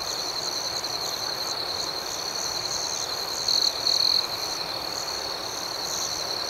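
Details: Chorus of nocturnal crickets giving a steady shrill ringing, with two louder trilled bursts in the middle and faint, irregular chirps above, set against quiet natural background hiss.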